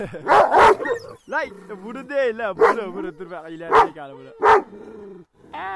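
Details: Kangals attacking produce a double bark, then long sliding whines and yelps broken by single loud barks, with voices heard in the mix.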